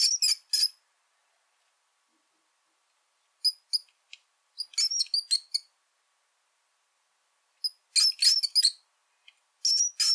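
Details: Rattus norvegicus uttering bursts of thin, piercing squeaks, each cluster of rapid chirpy notes followed by a few seconds of quiet, with nothing else audible.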